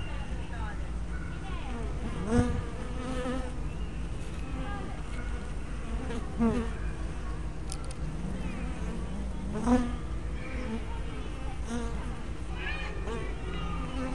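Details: Hive entrance of honey bees on a spy camera with fisheye lens: a constant colony hum, broken about every three to four seconds by a louder bee whizzing close with a brief rising-falling buzz.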